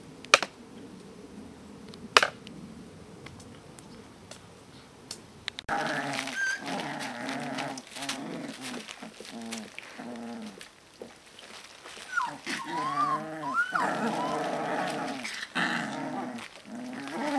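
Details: Alaskan Malamute puppies, 18 to 25 days old. A few sharp clicks come first, then a dense run of low, harmonic grunting growls. High, wavering whimpers and squeals break through in the middle, while soft murmuring voices carry on in the background.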